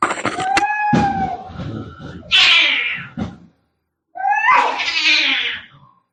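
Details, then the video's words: Fighting cats, very angry: a wailing yowl over scuffling thumps breaks into a loud rasping scream, then after a short pause another rising yowl that turns into a harsh, noisy screech. "cat fighting sounds - Scary - Sound like K1ds - Very Angry"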